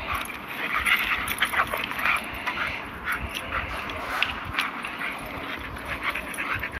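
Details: A German Shepherd and a Rottweiler, with scattered rough barks and short whining yelps at irregular intervals. The barks are somewhat softer and more spread out, over a constant hiss.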